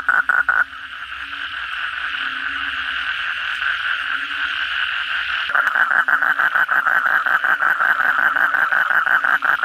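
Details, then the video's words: Kodok bangkong toads in full voice on a rainy night: a short pulsed trill at the start, a dense buzzing chorus, then from six seconds a loud close rapid rattling trill, about three pulses per second, over the crowd. "suara kodok bangkong pada gacor setelah hujan lebat malam hari"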